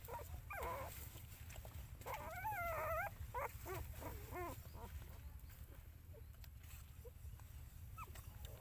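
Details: Mother dog with her puppies: a cluster of high, wavering, whiny squeals rising and falling in quick bursts during the first half, then a few short, thin squeaks spaced apart over a steady low hum.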